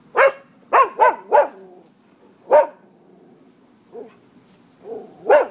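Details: Dogs that roam freely on a Florida property bark around noon, 5 November 2015: a burst of four loud barks, then single barks spaced by pauses, with softer yips and a faint background hum.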